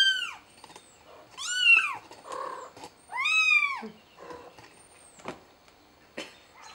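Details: Mother cat trying to help her kitten, giving three loud, clear meows that rise then fall, about a second and a half apart, with quieter short murmurs and soft clicks between them in a quiet room.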